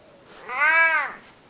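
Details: Spocky, an old, unwell domestic cat at home, comes around to chat: one clear arched meow about half a second long, rising then falling, with rich harmonics in a quiet indoor room.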